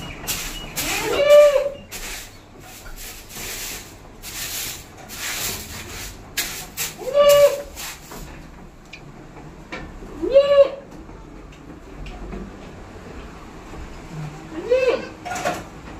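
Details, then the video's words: Hybrid goats on a goat farm in West Bengal bleating: short wavering bleats around four times in sixteen seconds, each a nasal tone with rich harmonics, over a background of rubbing and scraping noises and faint farm clatter. "Goat farm ছাগলের ফার্ম হাইব্রিড ছাগল in West Bengal"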